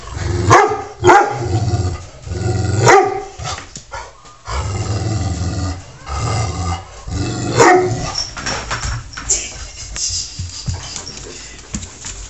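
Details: Domestic dog named Taz barking and growling at the household cat Sky in a routine squabble; low growling stretches between several sharp, loud barks, with irregular pauses.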